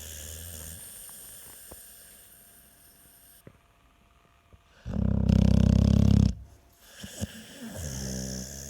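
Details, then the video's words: American Staffordshire Terrier snoring louder than a washing machine on spin: soft breaths, then a loud, low, buzzing snore of about one and a half seconds, ending in smaller rasping snorts. "4 Минуты собачьего храпа | Храп | Стаффорд | Стаффордширский Терьер"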